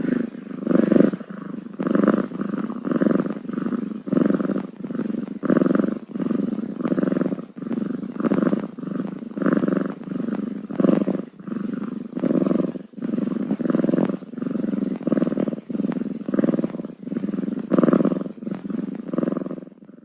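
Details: Six-day-old kittens purring: a steady low rumbling throb that swells and fades with each breath, roughly once per second, continuing without a break for twenty seconds with no other clear sounds.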